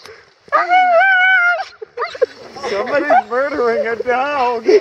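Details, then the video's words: Female Siberian Husky named Roxie, excited by horses while sheltering from heavy rain in Staunton State Park, Colorado, gives a long steady whine, then a run of wavering, yodel-like yips and whimpers; rain patters behind. "Husky really likes horses"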